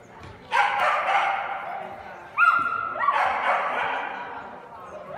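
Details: Kooikerhondje, the Dutch hunting dog once used to lure ducks into traps, barking in two bursts with a higher yelping note between them, echoing slightly indoors.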